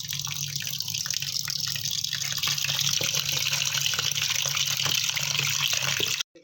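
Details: Steady running water from a tap fills the recording, with a low hum beneath and no animal calls. The broad hiss continues unchanged until it cuts off abruptly at the end.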